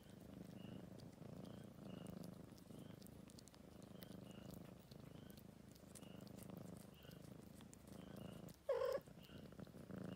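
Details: Old male cat, adopted from the street, grooming himself in Greenhouse Cafe, Tagaytay; a low quiet purr runs throughout with faint high ticks repeating about every half second and a sharp short burst near the end.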